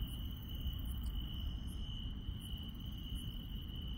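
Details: Night insects in the countryside: a constant shrill trill with sharp, very high chirps repeating at roughly even intervals, set against a steady low rumble.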